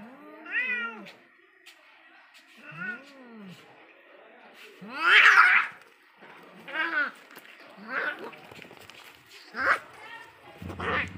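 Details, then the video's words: Angry cats in a deadly fight: loud, drawn-out wailing caterwauls with harmonic arches that rise and fall, about seven howls in eleven seconds, one harsh snarling outburst in the middle and a short spit near the end. "Deadly fight between cat🐈 angry cat😾"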